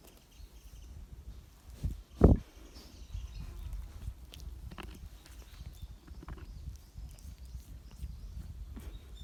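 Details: Goat sneezing: one sharp, loud snorting burst about two seconds in, preceded by a softer puff, over steady low rumbling background noise and faint rustling.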